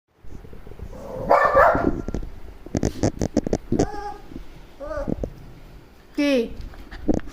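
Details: A small Shih Tzu, Roxy, reacts to a dog calling outside with a handful of abrupt barks and drawn, downward-sliding yelps, while a woman scolds it and asks whether it wants the door opened.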